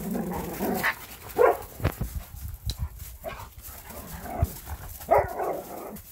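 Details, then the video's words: Play fight between a borzoi and a standard poodle, kept as a pet: repeated throaty growls and snarls in short rough bursts, with a few sharp thumps between them. "闘うボルゾイ スタンダードプードル"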